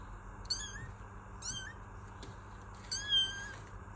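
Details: Kitten with short, high, somewhat rising meows, three calls in four seconds, the last longest and most level, with a soft click in between and steady background hum.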